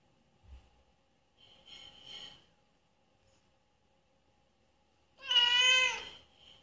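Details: Mother cat giving birth to kittens, in pain. Faint, thin cries come first, then one loud, drawn-out, strained meow of nearly a second near the end, followed by a soft trailing sound.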